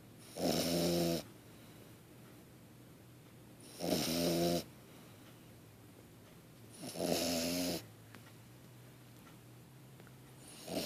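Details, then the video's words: A 3.5-month-old French Bulldog puppy snores in rough, rattling bursts about every three seconds. "French Bulldog Snoring (3.5 months)"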